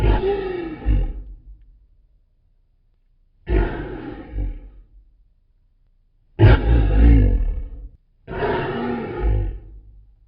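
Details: Lion roaring, a call used to mark territory and stay in touch with the pride: four deep, rough, powerful bursts about one to one and a half seconds each, separated by silent gaps, the third longest and loudest.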